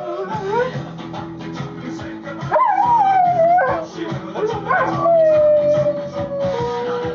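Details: Female Rottweiler howling along to the song Nellie the Elephant by the Toy Dolls, as she does every time it plays and only with this song. Long wavering howls that rise then slowly slide down, sung over loud punk music with applause.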